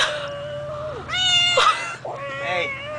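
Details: Stray cat found while playing basketball, giving three drawn-out, harmonic meows, the middle one louder and rising then bending down, the last one wavering; someone's heavy breathing hums steadily underneath.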